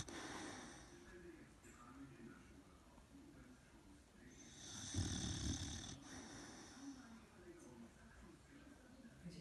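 An Old English Bulldog snoring with rough, rasping breaths in an uneven rhythm.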